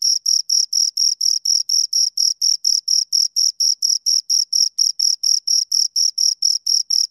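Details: A pair of crickets keeps up a fast, even rhythm of piercing chirps, near four per second, each pulse short and bright, continuing throughout against silence.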